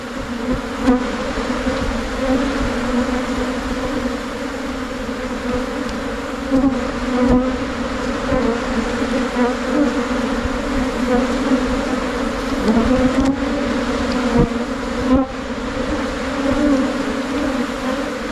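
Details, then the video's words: Thai cavity bees, a form of Asian honey bee, hum loudly and without pause as the swarm moves into a new hive box. The steady drone wavers gently in loudness and is broken by a few faint clicks and taps. "การเเยกรัง เเละเข้าอยู่ลังใหม่ ของผึ้งโพรงไทย"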